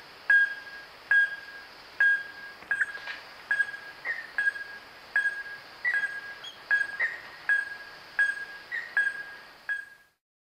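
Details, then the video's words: Wahlberg's epauletted fruit bat in Kruger National Park giving a steady series of short, clear metallic pings, roughly one every 0.8 seconds, each a sharp tonal note with faint higher overtones, against a quiet night background. "Wahlberg's Epauletted Fruit Bat (Epomophorus wahlbergi) Animal Call"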